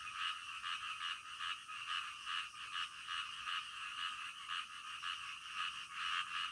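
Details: Many frogs croaking together in the middle of the night, their harsh pulsed calls blending into a continuous throbbing chorus with a slight background hiss.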